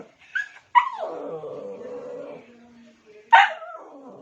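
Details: Pet dog calling for another dog's attention: a sharp yelp sliding into a long, wavering whine that fades, then another abrupt high yelp tailing off.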